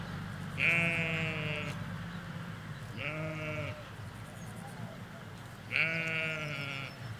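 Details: Sheep, ewes with lambs, in a field in the Hampshire countryside, recorded with stereo M5 microphones by a hedge: three loud, quavering bleats, each about a second long, spaced roughly two to three seconds apart over low background hum.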